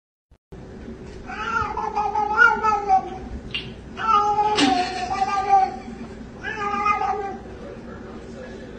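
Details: Cat giving three drawn-out, wavering meows, whiny and rising then falling, each over a second long, with brief gaps between, over faint background hum.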